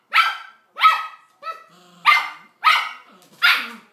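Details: Male toy poodle desperately calling to his shut-in mate during a couple's quarrel; five loud, sharp barks at quick uneven intervals with one softer yelp between them.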